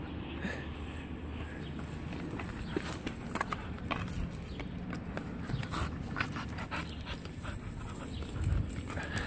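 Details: Ani, a pet dog playing with sticks, panting in quick breathy bursts that cluster midway through, over a steady low rumble of background noise; a person's voice is briefly heard.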